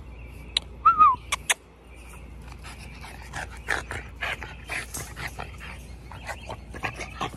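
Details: French Bulldog. A short, wavering whine from French Bulldog puppies rises and falls once, then gives way to scrabbling, thumps and a few quiet, breathy yips. The later sounds are softer and scattered, mixed with movement noise.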